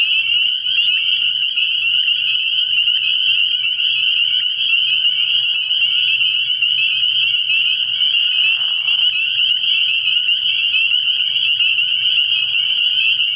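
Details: Many spring peepers chorus from a frog pond at night early in the year, their piercing high peeps blending into an unbroken shrill drone that holds steady throughout, with faint low rumble beneath.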